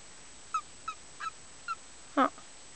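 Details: A frog found in a forest, said to be seven years old, gives a few short, thin squeaks, then one louder, lower croaking chirp when lifted up.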